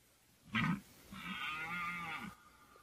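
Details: Red deer stag bellowing in the 2014 rut: a sharp grunted onset, then a drawn-out, tonal, harmonic roar lasting over a second, clear above a quiet background.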